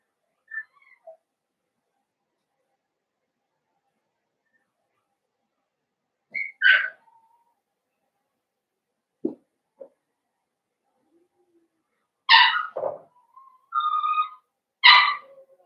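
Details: Blenheim Cavalier King Charles Spaniel puppies from a litter of five born at New Year's to Paris and Spike, kept in an indoor puppy pen; scattered high squeaky whimpers and yelps, quiet gaps, then a cluster of shrill cries near the end.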